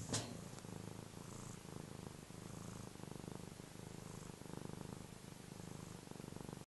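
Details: Contented domestic cat purring steadily, a low even rumble with rhythmic breath pulses throughout, preceded by a short click at the start.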